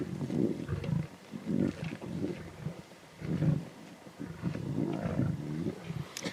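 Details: At a zebra carcass in the Timbavati, lion cubs growl intensely, with deep, throaty rumbles rising and falling in waves and short snarling surges, continuing almost without a break.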